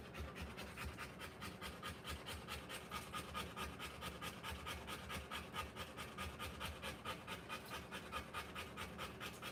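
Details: Rottweiler bitch giving birth to puppies, panting hard and fast in a steady rhythm of about two breaths a second, each breath a soft airy rasp, continuing without pause.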